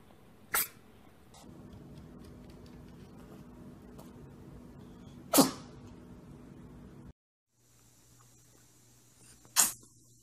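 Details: A domestic cat sneezing: three short, sharp broadband bursts, each a sudden explosive puff, spaced several seconds apart over a low steady hum, with a brief break in the background partway through.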